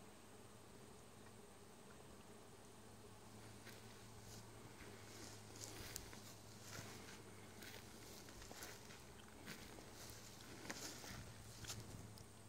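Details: Bees buzzing in a Vermont summer, a continuous low hum with scattered light tapping and rustling sounds over it.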